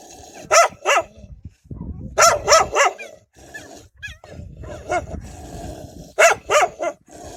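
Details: Wild dogs protecting their pups bark loudly and menacingly: abrupt barks in pairs and triples, with rough low grumbling noise between the bursts.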